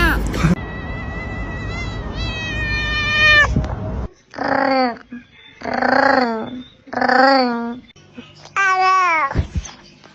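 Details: Domestic cat sounds: a long flat tonal note, then three drawn-out wavering meows in a row and a final rising-falling meow, with quiet gaps between calls.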